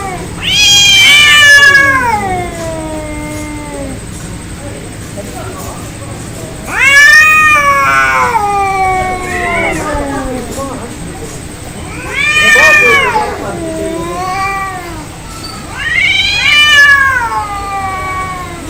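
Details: Angry cats in a fight trade four loud, harmonic-rich yowls roughly every five seconds, each rising sharply then sliding down into a long wavering moan.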